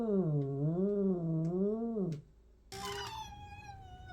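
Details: A domestic cat gives a long, wavering yowl, then a brighter, higher meow after a short pause.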